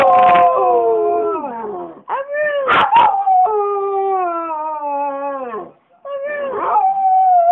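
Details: A Border Terrier howling indoors at home: long sustained tonal howls that sag downward at their ends, broken by short sharp yips in the middle and a wavering final howl.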